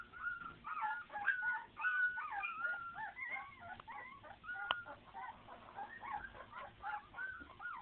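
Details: Several puppies cry at once: a steady tangle of thin, wavering whines and short yelps, some sliding upward, others dropping, with a brief sharp click midway.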